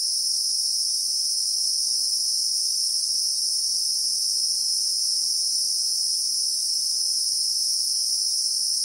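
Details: Unwavering high-pitched electric-sounding buzz of Christmas beetles (Anoplognathus) in the South African bushveld, recorded in real time; two bright tonal layers run steadily for nine seconds over a quiet, faint background.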